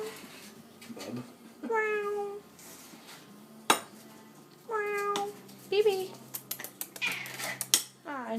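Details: Orange tabby cat meowing while begging for tuna: drawn-out tonal meows near 1.7, 5 and 8 seconds, with clinking dishes and cutlery and brief speech in a kitchen.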